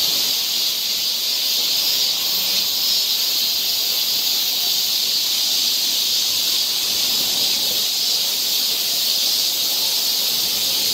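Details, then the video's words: Cicadas in full chorus on a forest trail near Seoul, Korea, in summer: a dense, unbroken high hiss that holds steady the whole time, with no pauses or rise and fall. "cicada sound"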